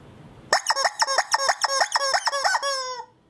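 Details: Siberian Husky puppy vocalising in a rapid, yodelling run of about a dozen pulsed notes, roughly five per second, ending in a longer sustained howl-like tone before falling silent.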